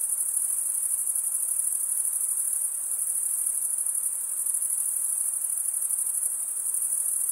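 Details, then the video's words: Dense chorus of chirping crickets, a continuous thin, very high trill with rapid pulses, running evenly throughout over quiet background hiss. "Most relaxing cricket sound"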